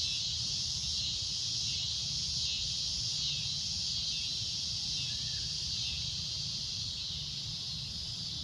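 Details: Loud cicada drone at sunset: a continuous high, shrill buzz with slight wavering, a short faint bird-like note midway, and low rumble beneath.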